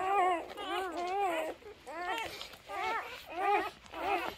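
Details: Labrador Retriever puppies three days old cry in drawn-out, wavering whimpers, each falling at the end, coming in bursts about every half second with brief quiet gaps.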